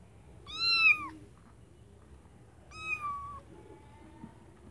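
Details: Kittens calling from a white bucket give two loud, high meows about two seconds apart, each bending downward at its close, followed by a thinner, quieter drawn-out cry.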